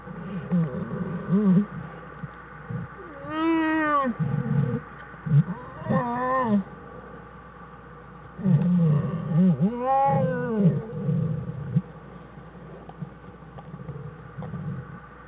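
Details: Den scene from January 1, 2013 with an American black bear mother and her two cubs; several rising-falling harmonic squalls in bursts, over steady low grumbling and murmuring.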